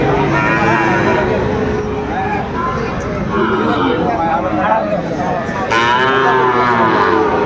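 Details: Sahiwal bull calves for sale at the start of the Aftabganj cattle market in Dinajpur, Bangladesh, on 2 September 2025. Drawn-out, harmonic lowing rises and falls over steady crowd chatter and haggling voices.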